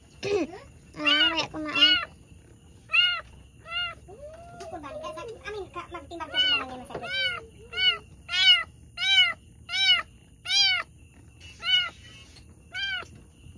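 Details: Pregnant domestic cat giving birth to two kittens indoors, a long series of high, arched mews, some closely paired, others spaced about a second apart, with a lower, drawn-out wavering cry in the middle and faint speech.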